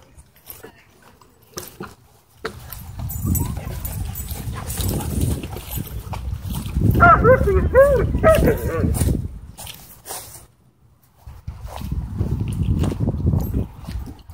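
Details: Dogfight between a Doberman and a Belgian Malinois at a dog park, corrected with an e-collar: long stretches of rumbling scuffle and low noise, with a burst of wavering high yelps and whines around the middle.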